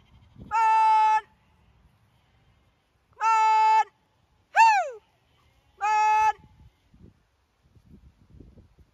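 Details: Zwartbles lambs on a farm in County Kilkenny, Ireland, being moved to a distant field out of hearing of their mothers to ease weaning; four loud harmonic bleats, one rising then falling sharply, spaced a few seconds apart, quiet between.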